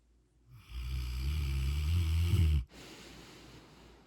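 A Rottweiler gives one long, deep, rumbling snore that cuts off abruptly.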